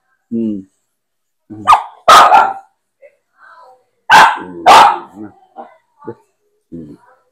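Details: Aspin dog at bath time, several loud sharp barks in two pairs about two seconds apart, with a woman talking in Filipino between and around them.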